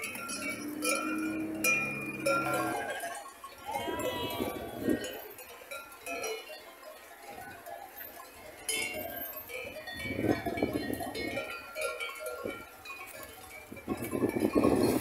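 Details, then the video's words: A grazing herd of sheep bleating in wavering, nasal calls, several voices overlapping in bursts, with the steady clank of bells ringing throughout. "Sheep Sound A herd of grass eaters - Sonido de las ovejas"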